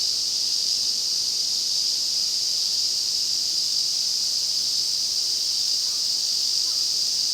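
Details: Ezo cicadas in a massed midsummer chorus, recorded in August in the Afan Woodland, a restored forest in Shinanomachi, Nagano, Japan. A steady, unbroken high buzzing drone fills the recording at an even loudness, with no pauses or other clear sounds.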